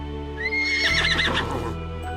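A horse gives a high, shrill whinny that rises and then shakes, over steady background music.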